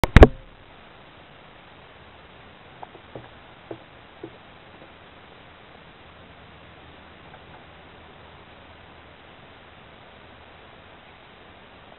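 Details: A loud thump at the start, then a quiet indoor room with a few light knocks and taps; no barking or other animal sounds.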